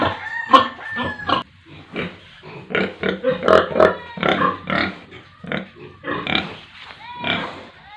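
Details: Pigs with piglets on a village pig farm in India: broken bursts of harsh grunts and short squeals, several rising thin squeals between, irregular rhythm, a possible voice in the mix.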